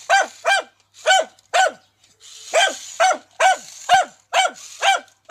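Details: Dachshund confronting a remote-controlled tarantula, giving loud, sharp, high-pitched barks in pairs and short runs, about two a second, with a faint hiss heard between some barks.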